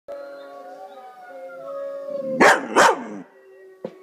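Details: Dog howling in response to wolf howls: a long, steady, tonal wail held for about two seconds, then two sharp, loud yelping bursts and a brief final yip.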